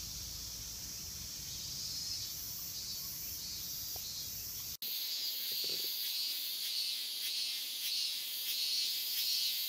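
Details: A summer cicada chorus in Japan, known as semi-shigure and likened to the steady sound of a shower of rain: a dense, continuous high-pitched hissing buzz with no pauses, broken only by a brief click near the middle.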